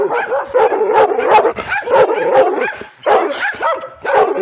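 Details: Mad-sounding barks from a female pit bull and Redbone Coonhound mix acting aggressively toward whoever holds the camera: continuous, harsh, overlapping barks with yelping edges, one short gap around three seconds.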